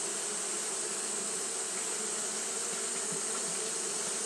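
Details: On a hot day, Japanese honey bees keep fanning without pause, producing an unbroken droning hum with a few faint flickers, set against a steady high hiss.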